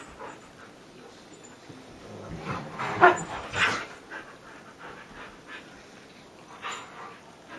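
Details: Husky rustling on a Sunday morning, with one short tonal whimper around the middle, a few breathy huffs and scuffling sounds, otherwise fairly quiet.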